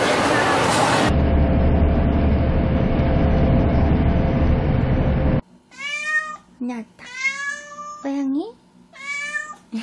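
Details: Domestic cat purring close up, a dense steady low rumble with fine rapid pulses lasting about five seconds after a brief loud rustle, followed by Korean speech and short high cat-like calls.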